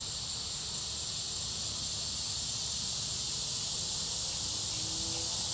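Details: Cicadas heard as a steady, unbroken high hiss with no pauses, while intrusive nearby machinery adds a low rumble and faint steady hums.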